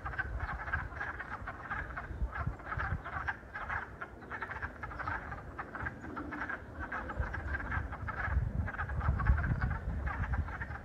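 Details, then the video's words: A wood frog chorus recorded on the first day of spring 2022: short, hoarse clucks overlap into a steady, duck-like chuckling. "The Sound of Wood Frogs"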